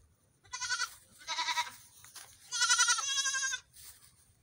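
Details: Baby goats out for a morning run, bleating in quick succession: three or four tremulous, nasal calls, the last one longest and loudest.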